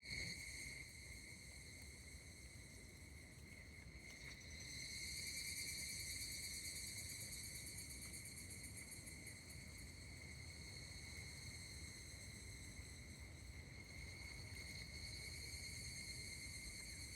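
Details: Higurashi cicadas calling at Kashima Jingu shrine, Kashima, Ibaraki, Japan, on 16 August 2024: a steady, faint, high shimmering drone of ringing tones that swells after a few seconds and holds, with low rumbling background noise throughout.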